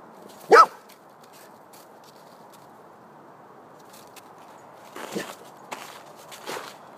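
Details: Golden Retriever dog barking at a snowman: one loud, abrupt bark early on, then long quiet with only soft background hiss, followed by faint rustling, shuffling sounds like footsteps in snow.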